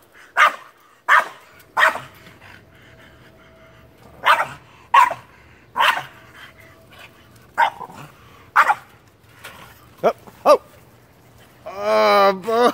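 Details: A French Bulldog barking after a squirrel, sharp single barks repeated roughly every half to one second, ending in a long loud rising whine, with a woman speaking nearby.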